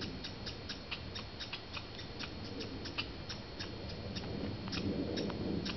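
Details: Squirrels fighting in the wild at Banff, Canada. A steady series of crisp ticking chips repeats several times a second, with a soft rustling noise that swells near the end.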